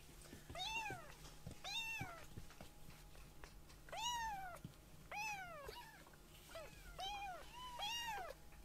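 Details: Young rescued kittens, one light brown and one with white sock-like paws, calling indoors after a nap; clear arched meows come in pairs and singles about once a second, over a low steady hum.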